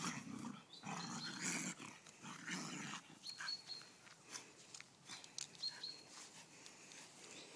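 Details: A Golden Retriever pup and a whippet cross argue over a stick. For the first three seconds they give low, rough, rumbling growls in bursts, then softer scuffling and a few faint higher squeaks follow outdoors.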